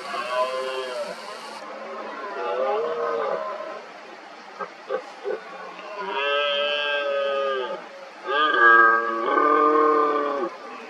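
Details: Red deer stags roaring repeatedly in the 2023 rut, rivals agitated around an injured dominant stag: groaning harmonic roars, then a quieter gap with a few clicks, followed by two loud, sustained bellowing roars in quick succession.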